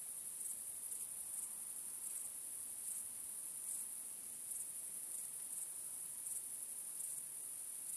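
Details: Night crickets on a starry night make a continuous high-pitched trill. Sharper accents stand out at uneven spacing, roughly every half second to a second, and nothing else is clearly audible.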